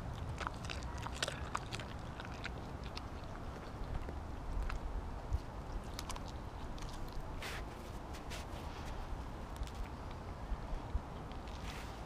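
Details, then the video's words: Kobi, a Siberian Husky, eats a whole raw mackerel in one go instead of his usual smaller chunks; sharp crunching bites and wet crackling clicks come irregularly over a steady low background rumble. "Husky Eats Raw Fish! Sound On"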